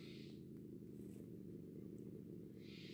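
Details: A bobcat caught in a trap, which it entered after a pigeon it had been killing, growls low and steadily in a deep, agitated rumble, upset at being caught.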